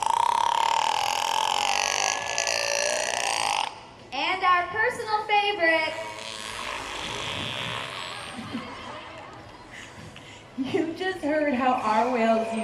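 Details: Trained captive killer whales (Orcinus orca) at SeaWorld San Diego vocalize in air during a show, making a drawn-out buzzy tone and squeaky, rising and falling harmonic squeals, calls used to communicate with each other.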